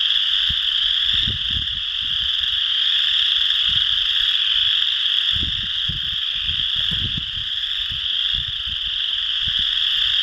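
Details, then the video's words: Chorus frogs call at Potato Creek State Park, Indiana, on March 12, 2016: a dense chorus of high trilling calls blending into a continuous ringing drone. "Chorus Frogs Calling by Sayre Nature"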